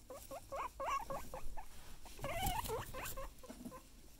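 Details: Guinea pig giving a quick series of wavering squeaks and chirps, one longer warbling note in the middle, over a low rumble and background noise.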